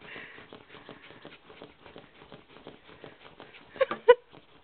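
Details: Nala, a pet dog wanting a gerbil very badly, sniffs in rapid, uneven snuffles, about three a second, ending in two louder sharp snorts.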